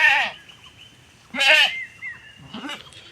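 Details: Bangladeshi village goat grazing another household's grass: three loud, shaky bleats over three seconds, the first and second strongest, the last shorter, with a thin steady tone lingering between them.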